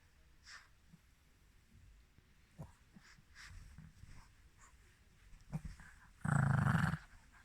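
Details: Mal-Shi, a Maltese and Shih Tzu cross, a female dog born July 2017, recorded 14 November 2020: soft sniffs and rustles, then one loud, explosive broadband sneeze lasting under a second near the end.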